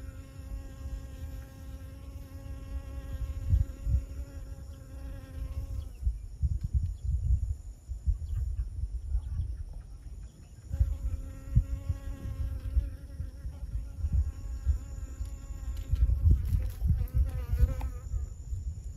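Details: Honey bee working flowers during pollination at Siosar, Karo, North Sumatra, Indonesia: an even humming drone, breaking off twice as the insect moves, with gusty low rumbling between bursts and a faint high steady tone throughout.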